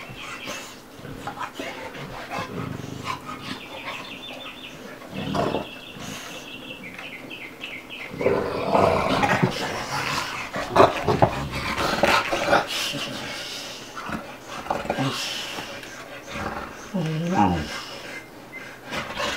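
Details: Play session between two dogs, Bubba the 2-year-old American Bulldog and Ruby the 5-month-old Dogue de Bordeaux, with rough growls, snorts and panting breaths that grow louder midway, plus scuffling and faint squeaky sounds.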